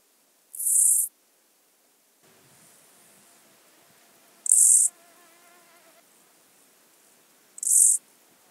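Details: Two-coloured grasshopper recorded at Illmitz, Austria, on 21 July 2021; three short, hissing high-pitched bursts, each about half a second long, spaced roughly three and a half seconds apart, with a faint low hum between them.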